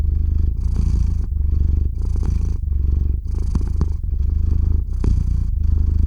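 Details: Domestic cat named Theo purring into the microphone as he falls asleep, recorded with a RODE NTG-3 and ZOOM H6; deep continuous rumble alternating between inhale and exhale phases roughly every second, with faint clicks.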